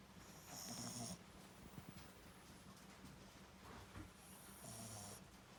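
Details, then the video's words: Snoring French Bulldog called Daifuku, two rattling snores about four seconds apart, each under a second, mixing a low nasal buzz with airy hiss, and soft breathing between them. "フレンチブルドッグ 大福3 いびき？！"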